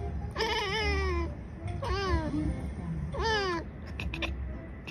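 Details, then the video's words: Two cats in conversation: three drawn-out, harmonic-rich meows, each rising then falling, about a second apart, over a low steady background hum. "conversation between two cats"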